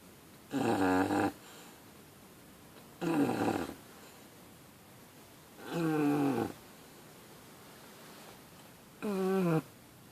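An English Bulldog puppy snores with harsh, rattling breaths, each lasting under a second. The rough snorts come at a steady pace roughly three seconds apart, with quiet between them.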